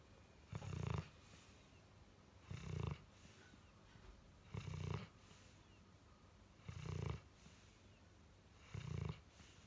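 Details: Pudding, a four-year-old pet dog, snoring while asleep: deep, low rumbling snores with a breathy rasp, coming in regular bursts about every two seconds, with quiet room hiss between them.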